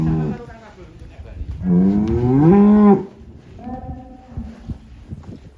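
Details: Large Limousin cattle, one of eight giant animals being loaded onto a truck in Indonesia, gives a single drawn-out moo rising then falling over about a second, amid handlers' talk and clattering.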